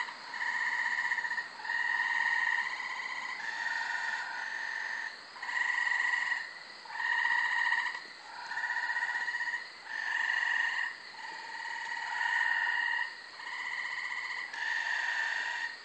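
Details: Chorus of several Gray Treefrogs calling at night from a thick brushy corner lot in Carolina, Rhode Island, in May; steady pulsed trills lasting one to two seconds, repeated back to back by overlapping frogs.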